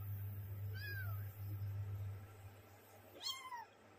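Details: Little kittens pampering each other and playing give two high mews, the first short and falling near 0.8 seconds, the second longer, rising then sliding down around 3.3 seconds, over a steady low hum.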